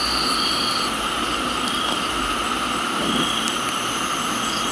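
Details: Unbroken high-pitched trilling from crickets in a Thai tropical garden, several steady tones stacked together, one upper trill stopping partway through, all set against a dense wash of rain noise.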